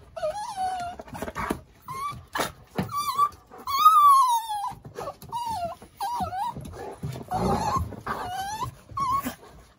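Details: Mewing like a cat, Yoichi, a male tricolour Cavalier King Charles Spaniel from Kurume, Fukuoka, reaches peak excitement in play, giving a run of loud, bending, nasal whines, one long rising-falling cry in the middle, with quiet gaps between.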